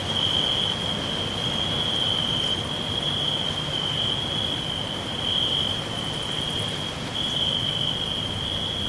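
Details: Crickets in a natural green forest give a constant high, thin trill, slightly wavering in strength, set against a fairly strong low, even background rumble.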